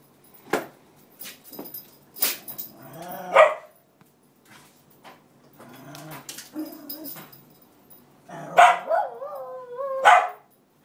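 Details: Roxy, a Cairn Terrier, crying and barking to get her bed by the radiator back from the other cairn; sparse clicks and thumps, then rising wavering whines and short yelps near the end.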